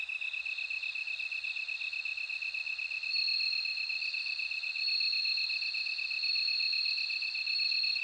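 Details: Bell cricket in song, a high trill of quick even pulses that swells into a louder ringing, bell-like tone from about three seconds onward; calm, otherwise silent background.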